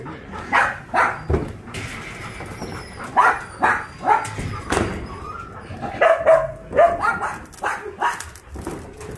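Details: Abandoned dogs housed at Ulsan's Narae-ul Center, formerly Mindeulle Shelter, during volunteers' visit: irregular bursts of clear barking and yips, some doubled, spread across the recording with faint human voices behind.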